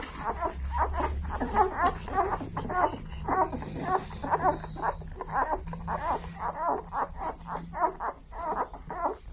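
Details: German Shepherd in labour, delivering a litter of seven puppies; rapid short whimpering squeals repeat almost twice a second, uneven in loudness, over a steady low hum.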